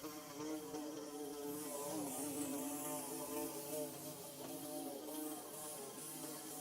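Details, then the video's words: Nest-building bees, filmed in Mizo country, hum in a thick, steady buzz of stacked tones that shift gently in pitch, with a constant high hiss underneath. "Bee Buzzing"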